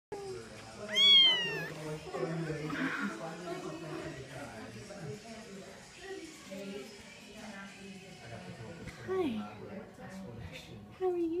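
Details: Two-week-old orphaned orange-yellow male kitten, one of three siblings found at a college after the mother was killed by coyotes, crying with a high rising meow near the start and soft cries later, while people talk throughout.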